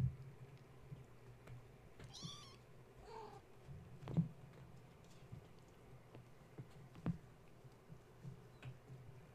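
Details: Gaia's kittens, awake and restless at bedtime after a space heater was plugged in, climbing the kennel and fence instead of nursing; two quick fainter meows close together, then clicks and knocks against a constant low hum.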